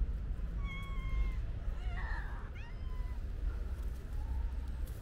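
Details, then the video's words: Hungry stray cats at feeding time give clear meows, a couple of flat drawn-out mews followed by a rough, rising cry and softer calls, over a constant low background rumble. "Wow! So Many Hungry Cute Cats!"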